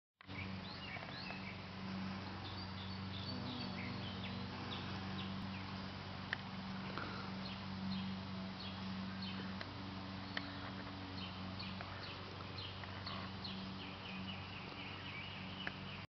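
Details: A carpenter bee pollinating wildflowers gives a low, steady droning buzz, with many birds chirping in the background.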